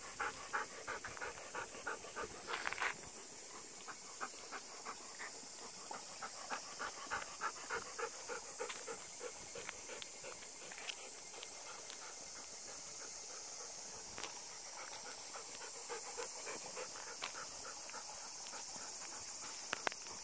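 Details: Golden Retriever breathing hard during a ten-minute late-afternoon walk at Obon, thunderclouds nearby; fast panting at just over three breaths per second, less regular, with a few sharper sounds and a steady high-pitched hiss throughout.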